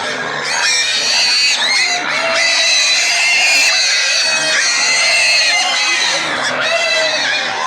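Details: Several excited pigs and piglets scream together in loud, shrill, overlapping squeals that barely pause.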